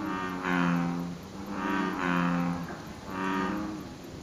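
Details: American bullfrog calling from the lotus pond below Izumi Bridge in Izumi Nature Park, Wakaba Ward; three deep, resonant, droning notes, each under a second long, follow one another about every 1.3 seconds over faint steady background hiss.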